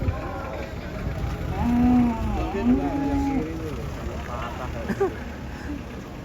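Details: An enraged cow, its horn broken, being unloaded from a truck at Pasar Jelok market. It gives two low, drawn-out moos in the middle of the clip, with excited shouting and talking all around.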